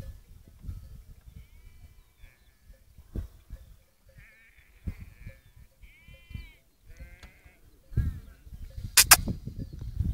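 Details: Romanov sheep at sunset, returning to their camp on Boğalı plateau near Erbaa in Turkey's Central Black Sea region, herded with Kangal dogs. Several high, wavering bleats come in the middle, among soft rustling and footsteps, with a sharp click near the end.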